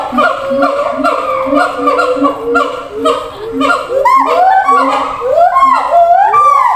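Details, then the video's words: Siamang in a zoo enclosure calling across to others kept in different cages: low booming notes repeated quickly, then building into loud, steeply rising whoops and barks toward the end. "gibbons sound"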